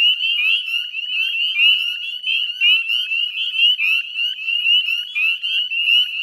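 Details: Spring peeper chorus at dusk, 18 May 2020, Chezzetcook salt marsh, Nova Scotia: several clear rising peeps stand out over a thick shrill background of other calling frogs, volume rising and falling in quick bursts.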